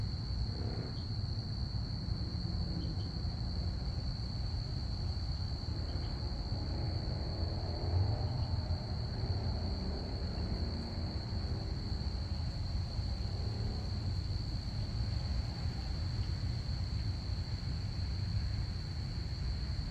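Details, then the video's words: Crickets chirping through a Saturday night, an unbroken high-pitched trill steady for the whole stretch, set against persistent low-frequency rumble and a few soft distant knocks. "crickets chirping"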